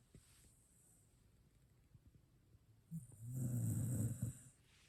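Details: Sleeping Shiba Inu worn out from a day at the dog run: soft low breathing, then a loud drawn-out rumbling snore in the second half, deep and buzzy, with faint hiss behind.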